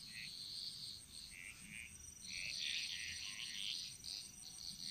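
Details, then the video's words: Frogs chorusing in the jungles of Bali, a rapid patter of short, high rattling notes overlapping in quick clusters, backed by a continuous faint high-pitched hum. "Frog Mantras - Relaxing Sounds Of Bali"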